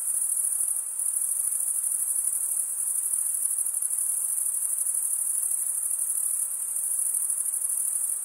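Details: Crickets producing their chirp by rubbing toothed wing edges together, heard as a continuous thin high-pitched ringing trill with subtle pulsation and small dips in loudness around one and six seconds.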